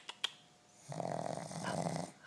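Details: Pug, a female shop dog sleeping indoors after a day in a workshop, gives a steady rasping snore with a low buzzy drone and faint higher harmonics lasting about a second and a half, preceded by two sharp clicks.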